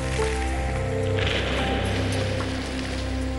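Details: Sustained musical tones and a low hum run throughout, over a soft noisy wash. No animal voice can be picked out.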